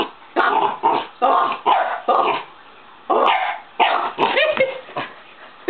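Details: Old Shiba Inu barking in excitement as a door that normally stays shut swings open: quick bursts of short, harsh, raspy barks, about ten in all, with a brief lull near the middle and a squeaky yelp near the end.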